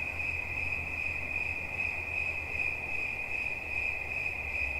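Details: Steady cricket song offered as relaxing sounds: a shrill, rapidly pulsing trill sustained throughout over a soft low hum.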